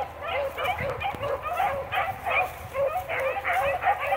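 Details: Several Blackcreek-bred beagles giving tongue on a rabbit trail, hunting cottontail, bluetail or swamp rabbits; a chorus of rising-and-falling musical bays, roughly two or three voices per second, tumbling over one another in uneven rhythm.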